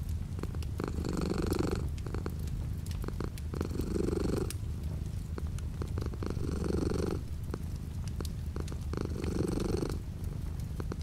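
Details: Domestic cat's purr with light rain outside the window, a constant low rumble rising into brighter swells about every two to three seconds, roughly 22 per minute, over a faint wash of rain.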